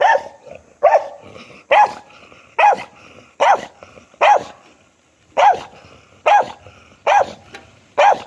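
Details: Dog barking in a steady series of ten loud, sharp barks, about one every second, with short quiet gaps between them and no other sounds.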